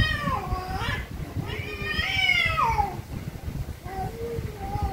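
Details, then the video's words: Very angry cats meowing loudly, several long wavering meows that bend upward then slide down, one extended strained cry in the middle, followed by shorter lower mews. "VERY ANGRY CATS||CAT MEOWING VERY LOUDLY"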